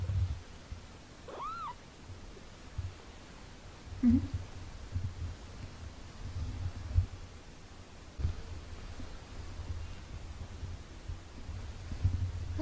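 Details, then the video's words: Two 17-day-old British Shorthair kittens learning to walk, indoors. One short, high kitten meow near the start bends up and then down, over a steady low hum, faint handling noises and a soft low call later. "17 days after birth | Kittens Muffin and Snickers meowing and learn to walk"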